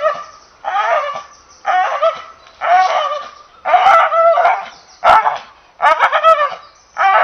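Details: Steady barking from an English Bull Terrier, about seven rough, nasal barks spaced roughly one second apart, each with a slightly whining, yodelling tone.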